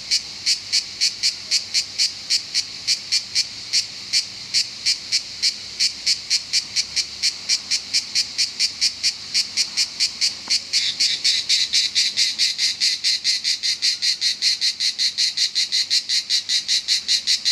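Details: A cicada in Southern France sings a loud, rasping song of rapid, evenly spaced pulses that quicken slightly toward the end.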